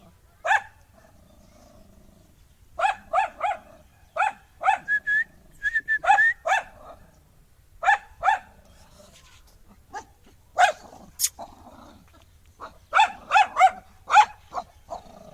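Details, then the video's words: Angry dog barking in irregular volleys of two to four sharp barks, broken by short whines and pauses, over a quiet background. "Angry Dog Barking Sound"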